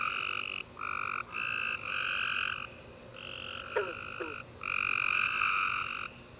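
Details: Night chorus of tree frogs following a warm, rainy summer day, with dense buzzy trilled calls in steady blocks, short gaps between them, and two quick downward-sweeping chirps midway.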